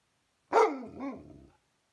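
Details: Alaskan Malamute vocalising because it wants dinner: a single drawn, rising-then-falling moaning whine lasting about a second, voiced and harmonic, ending in a softer wavering tail.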